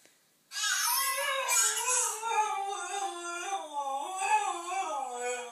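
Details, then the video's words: Yorkshire Terrier indoors, reacting to a dog and baby shown on TV, holding one long unbroken howl that wavers and slowly slides lower in pitch toward the end. "Yorkshire Terrier reacts to dog and baby on tv"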